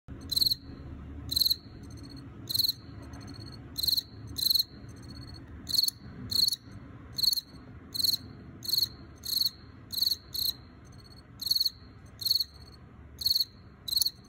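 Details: Wild-caught male field cricket (Teleogryllus, possibly T. occipitalis) calling inside an earthenware jar: bright, high chirps in short bursts of two or three pulses, repeated irregularly about once or twice a second over a faint low hum.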